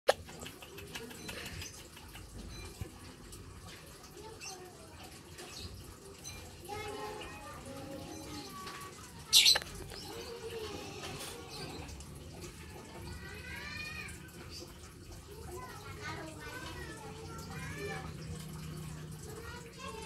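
A palm civet gives repeated high, arching squeaks and chirps while it is being fed.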